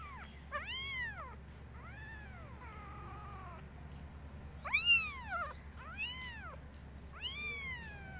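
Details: Several kittens meowing loudly in different styles: arched, rising-then-falling mews in quick bursts, some overlapping, with a steady low hum underneath.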